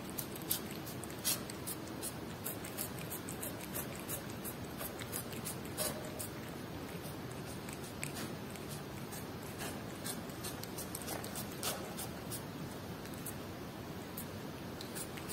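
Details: Pet cat munching Whiskas salmon, a long run of scattered crunchy bites and sticky chewing clicks, steady and unhurried, over low room hum.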